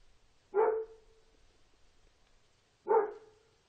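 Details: Dog barking twice: two short, loud, mid-pitched barks about two and a half seconds apart, with faint background hiss.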